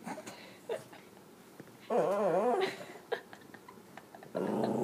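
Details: Zooey, a dog on the lookout for cats, lets out a wavering, up-and-down whining growl lasting under a second. Faint clicks follow, then a louder, buzzy growl begins near the end.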